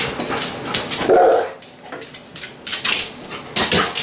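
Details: Maple, a Rhodesian Ridgeback/Labrador cross who knows her dinner is on the stove, gives one short, mid-pitched bark or yelp, set among sharp clattering and tapping kitchen noises.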